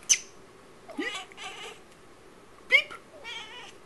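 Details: Female Tonkinese cat chattering indoors: a sharp click, then rising chirp-like meows in short bursts, a pause, and another quick upward chirp followed by a wavering meow.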